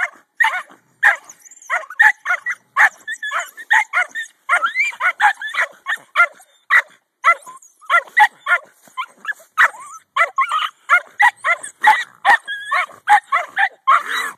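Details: Several Jack Russell Terriers excitedly digging out a raccoon from a stump hole in snow. A rapid, steady stream of high-pitched yips and barks runs almost without a break.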